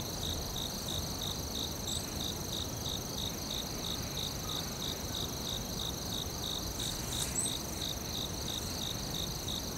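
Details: Crickets trill steadily in a high, shimmering, pulsing chorus in a forest, over a low rumble of background noise.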